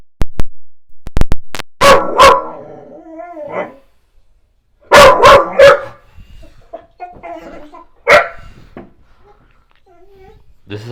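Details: Black Goldendoodle named Callie barking at the owner's mother and a painter: irregular loud barks in pairs and singles, with softer wavering vocal sounds and quiet gaps between bursts.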